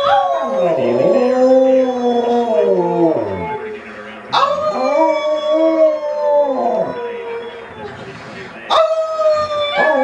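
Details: A Siberian husky howls in response to its family: long wavering harmonic tones sliding up and down, broken by short rising yips, with a person briefly saying "good girl" nearby.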